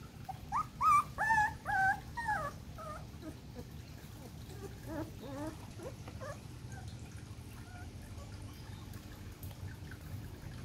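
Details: Four-week-old poodle puppy, at the age when it can start being introduced to food, giving a run of high, wavering whines and yelps in the first three seconds, then softer scattered whimpers over a low steady hum.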